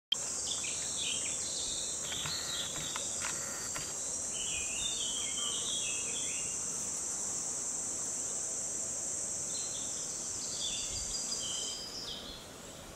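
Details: Mountain cicada filmed in 2014, singing a continuous high, shrill buzzing drone that holds steady for about eleven seconds, then stops; brief chirping bird notes sound over it near the start and toward the end.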